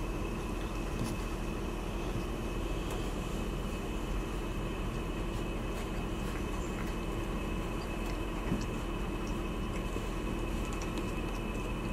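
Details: Steady indoor hum and low rumble, like a fan or machinery, fills the room with no animal sound.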